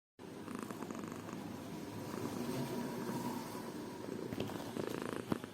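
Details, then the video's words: A cat purrs steadily, a low continuous rumble pulsing rapidly throughout, while purring and yawning. "A cat purring and yawning"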